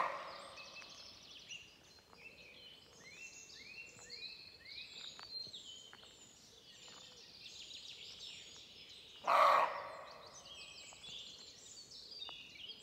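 A sambar deer gives a single loud, abrupt call against a steady chorus of chirping birds.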